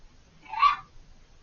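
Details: A fox screaming out of sight on the far side of a hedge, very vocal for over five minutes: one harsh, raspy, half-second scream that swells and fades, over a quiet background.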